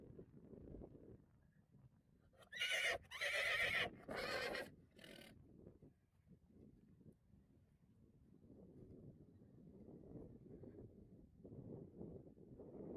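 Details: Friesian horses out in a grass meadow under rain clouds; one gives a loud, shaky whinny lasting about three seconds in trembling pulsed bursts, followed by quiet rustling and soft low sounds from the herd.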